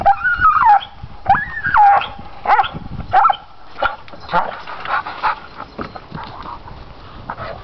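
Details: Pit bull stubbornly gnawing pine branches: high whining calls sliding up and down, several in the first three seconds, then fainter scraping and chewing noises.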